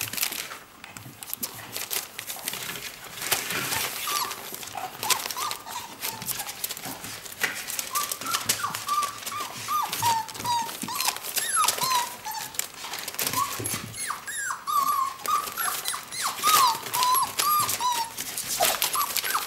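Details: Hungry whippet puppies aged four weeks whine as their mother eats food next to the birth den; rustling dominates at first, then many short high whines, some rising and falling, overlap more and more densely amid crinkling noise.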